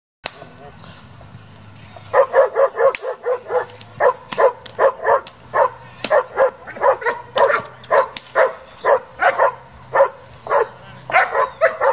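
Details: German Shepherds at a working and breeding group, barking in rapid repeated bursts, roughly two barks per second, with some speech heard early on.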